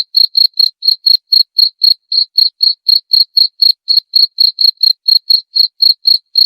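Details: Cricket chirping as a rat-repelling sound: a continuous run of bright, high-pitched chirps, about four each second, slightly uneven spacing, clean and free of other sounds.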